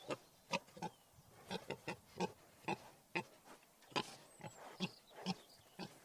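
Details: Wild boar giving short, rough grunts in a loose, uneven series, about a dozen in six seconds, some doubled, over a quiet background with a faint high whistle near the fourth second.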